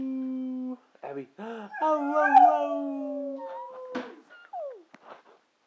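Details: A brindle Boxer sings in short broken howls, then a long sliding wail that falls slowly, followed by a few clipped whimpers and a quick falling yelp indoors.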